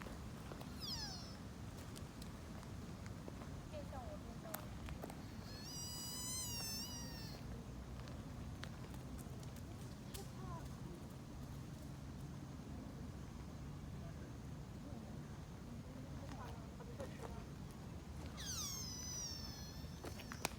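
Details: Sika deer fawn in Nara Park giving high, wavering bleats with rich harmonics, a short one near the start and longer calls around six and nineteen seconds, over a steady low rumble and intermittent human voices.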